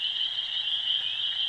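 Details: Spring peepers calling at night from a pond and roadside ditch about 100 yards away: countless high, piping peeps blend into one continuous shrill ringing chorus that never pauses.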